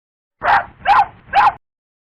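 Three quick, high-pitched yips from a puppy, evenly spaced about half a second apart. Each is short and bright, with a slight rise and fall, and nothing else is heard around them.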